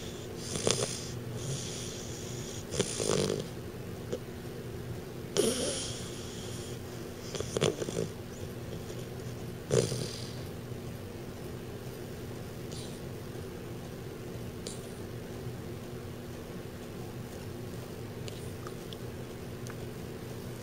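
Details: A 12-week-old American Bulldog puppy, Dr. Timothy Stuart, asleep and snoring because of a large overbite; short wheezy snorts and breaths recur every couple of seconds early on, then fade to quiet breathing over a steady background hum.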